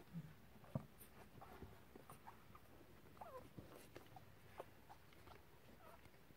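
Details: Lagotto Romagnolo x English Cocker Spaniel crossbred puppies from a litter 3 weeks and 2 days old, near Vienna, Austria, give soft, brief squeaky whimpers, scattered and faint in a quiet room.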